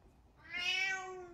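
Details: Domestic cat giving one drawn-out, clear meow that swells in loudness and then eases off gradually, with a quiet room behind it.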